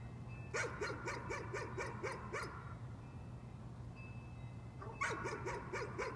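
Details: Repeated nuisance barking by a dog: a fast string of about eight sharp barks, a pause of two seconds, then another quick run of four or five, with a low continuous hum underneath.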